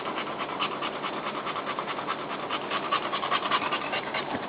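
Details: Dog mother settling beside her newborn pups, panting fast at about two and a half breaths a second, each pant a short airy puff, with slight rustling.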